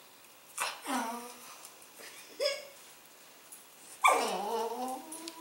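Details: A male Cavalier King Charles Spaniel gives a few short, falling whines and a yappy bark at his food bowl at dinner time, fussing until his food is poured out on the floor.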